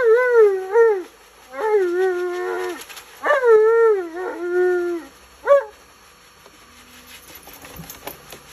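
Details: Alaskan Malamute Tonka yells and grumbles while being bathed: four drawn-out, wobbling vocal phrases that bend up and down like speech, then a short yelp, followed by quieter rustling and handling sounds.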